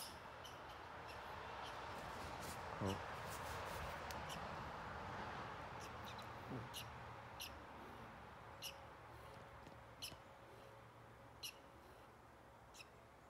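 A squirrel gives short, sharp squeaks and chirps, repeated every second or so.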